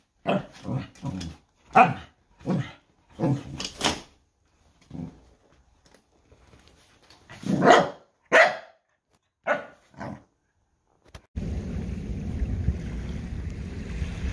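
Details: Noodles, a dog, gives a run of short, sharp barks in quick succession, pauses, then barks again in a louder cluster before the barking stops and a steady broadband background noise takes over.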